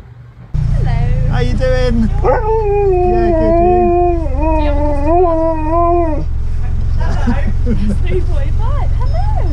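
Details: A Siberian Husky gives a long, wavering howl at a drive-thru window, as if ordering from staff, rising and dipping in drawn-out, talkative tones.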